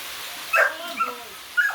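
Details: Belgian Malinois, an athletic dog in the Philippines, letting out a short yelping bark that slides into a whine, a softer yip, then another bark against a constant hiss.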